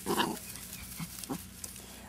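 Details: Dachshund from a breeder in Marble Falls, Texas, giving a sharp bark at the start, followed by two short, softer yelps about a third of a second apart, over a steady low hum.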